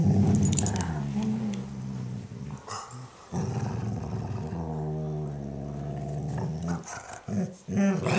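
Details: German Shorthaired Pointer female voicing contentment as her Weimaraner sister licks and cleans her ear: continuous low, rumbling grumbles and growly moans with a longer drawn-out groan in the middle, in a small room.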